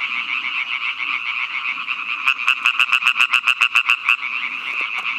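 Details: A European tree frog (Hyla arborea) gives a fast string of harsh, nasal clicks over a dense chorus of others.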